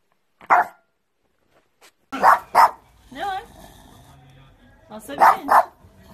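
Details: Pekingese barking in paired sharp yaps with a short whine between, indoors, while a woman talks to the dog.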